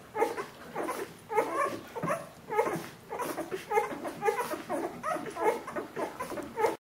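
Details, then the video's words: Litter of Bernese Mountain Dog puppies aged 14 days whining together: quick, high squeaky yelps repeated nearly every half second, with a slightly louder cry near the two-second mark. "Jeanies und Captains Welpen 14 Tage alt Bernese Mountain Dog Puppy"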